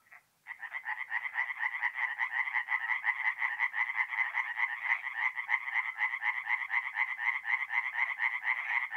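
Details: Tree frogs singing at night in a forest pond in mid-April, North-East Italy: a dense, rapid chorus of rasping pulsed croaks, many overlapping calls merging into a continuous rattling wall of sound after a brief quiet start.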